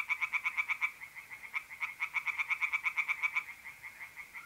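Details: Singing tree frogs in a pond at night, north-east Italy, mid April: bursts of fast, regular croaking pulses with a short pause between runs, and a faint even trill of mole crickets beneath.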